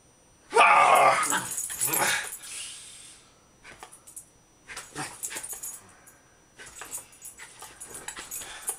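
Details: Female Jack Russell Terrier Agnes playing rough indoors with Alex, cutting and snapping; a long harsh, wheezy snarl lasting over two seconds, followed by softer scuffling and short rasping growls.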